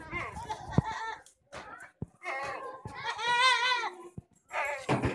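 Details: Jamnapari goat bleating in a series of harsh, wavering, nasal bleats, one long quavering cry in the middle standing out above shorter ones, with people talking nearby.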